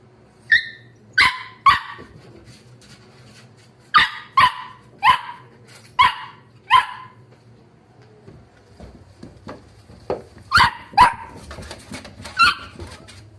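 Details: Wire-haired Dachshund puppies from a litter of seven siblings, kept as pets, letting out sharp, high-pitched yaps in short bursts, about a dozen barks spaced under a second apart, with a quiet gap midway and faint pattering indoors.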